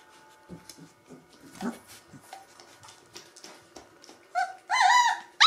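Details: Gordon Setter puppies three weeks old: quiet low grunts and snuffles at first, then ending in loud high whining yelps with clear harmonic bands.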